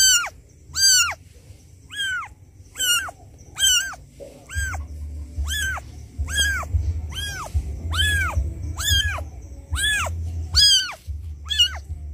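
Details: Loud crying of a kitten abandoned by its mother, seeming to call her: about fourteen sharp, high meows in a fast regular series, each rising then falling, over a steady low rumbling background.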